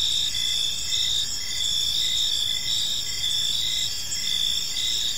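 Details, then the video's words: Evening in a peaceful park: crickets keep up a continuous shrill buzzing chorus, layered with brief regular chirps about twice a second, and faint low ambient hum below. "Cricket Sounds in a Peaceful Park"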